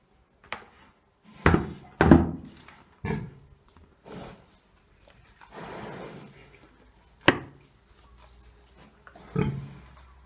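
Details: A three-year-old pig named Dezső, also called Toka, eats kitchen leftovers and fresh greens in Bálványos in July 2018, not very hungry but choosy. Several brief, low grunts and snuffles come in separate bursts, mixed with dull thuds of feeding.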